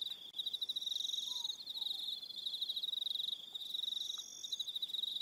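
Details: High pulsed trilling of crickets fills an evening on Aroha Island in New Zealand, several callers overlapping in a steady shimmering chorus, with a faint low whistle briefly beneath.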